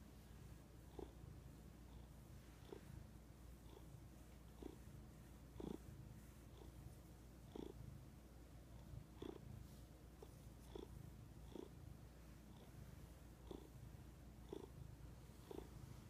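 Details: Domestic cat purring at length: a steady low rumble with breathy, slightly louder pulses recurring about once a second, each breath cycle marked by a brief mid-pitched swell, in a quiet setting.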